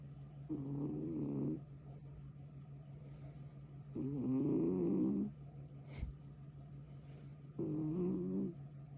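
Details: Sleeping kitten snoring: three rough, throaty bursts about a second long, each wavering in pitch, returning roughly every three to four seconds over a steady low household hum, with a faint click between breaths.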